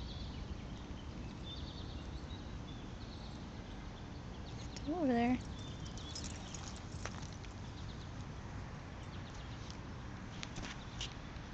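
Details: A female Basenji on a leash sees a wild bunny in the grass and wants to chase it, giving one brief, wavering yodel-like whine of excitement, with a human voice nearby.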